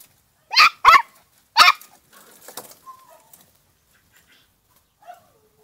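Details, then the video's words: Female Podenco puppy, two months old, in a paddock gives three sharp, loud barks in quick succession, followed by softer yelps and a thin, falling whine near the end. "Cachorra podenco de cuevas en el picadero con 2meses"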